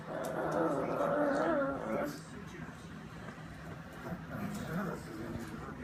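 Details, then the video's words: Female pug whining while she eats, making a distinctive noise: a wavering, tonal whine with shifting pitch for about two seconds, then quieter chewing and background sounds indoors. "Our Lovely Pug makes whining noise while eating"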